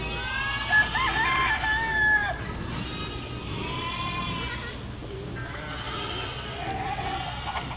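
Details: Herd of goats moving through a village, several overlapping nasal bleats rising and falling in quick succession for the first half, then fainter scattered calls over steady low rumble.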